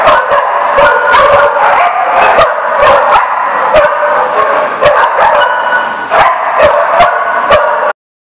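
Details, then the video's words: A group of dogs barking at The Barking Lot, recorded 7 July 2014: rapid, overlapping sharp barks and yips fill the clip almost without a break, then the sound cuts off suddenly. "The Barking Lot"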